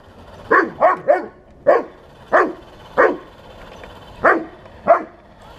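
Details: Eight barks from a Bernese Mountain Dog facing a 1:16 RC tank: a quick triple burst, then single sharp woofs spaced roughly every half to one second.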